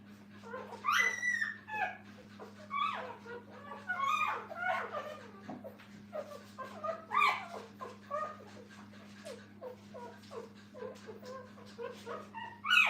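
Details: Kennel puppies beside their mother give high, rising yelps and whines that sweep upward, mixed with quicker small squeaks, loud and irregular throughout, with a constant low hum underneath and possible faint human voices.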